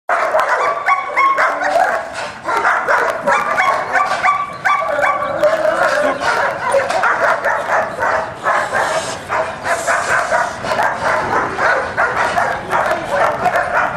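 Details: German Shepherd named Scarface from Alpine K9, under evaluation as a personal protection dog, barking loudly and steadily in rapid overlapping bursts for the whole stretch, with dense harsh barks and no pauses.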